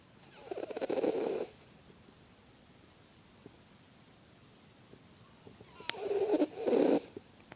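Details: Sleeping, dreaming pet dog snoring: two separate rasping, fluttering breaths, each about a second long, with a quiet gap of several seconds between them.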